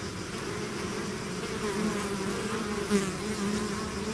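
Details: Honey bee swarm pouring out of its hive, a steady dense drone of many wingbeats with layered low hum bands, slight swells in loudness around the third second, no other sounds standing out.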